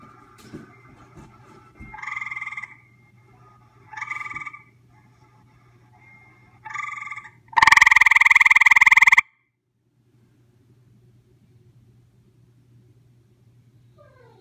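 A gray treefrog gives short, musical trills, ending in one long, loud burst, over a low steady hum.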